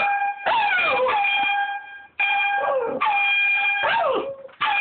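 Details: Domestic dog joining an air horn app with drawn-out howls that bend and drop in pitch over the horn's steady honking tones, three loud blasts with short gaps between them.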